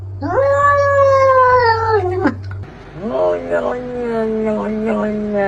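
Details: Pet cat in a compilation of chatty cats and kittens: a long loud meow held for two seconds, then a lower drawn-out wailing yowl, with a low hum beneath.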